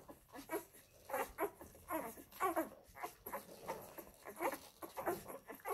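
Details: Labrador Retriever puppies of the F litter nursing at their mother Molly, giving short, high squeaky whimpers in quick irregular bursts with small pauses between them.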